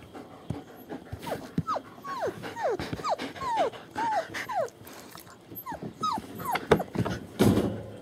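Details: German Shepherd puppies about three weeks old, born 28 January 2015, at a family kennel in Mayo, Florida; a run of high, falling whimpers and yelps repeated about twice a second, with low background rustling.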